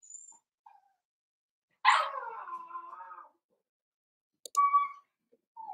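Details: Cavalier King Charles Spaniel puppies playing in an indoor puppy pen at home: a loud high whine sliding down and trailing off over about a second and a half, then a short clear tonal yelp near the end, quiet in between.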